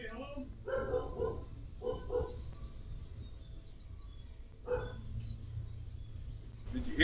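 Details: A domestic dog barks in short, sharp bursts inside a family home as a sheriff's deputy walks in uninvited, with people talking nearby; the dog was later shot.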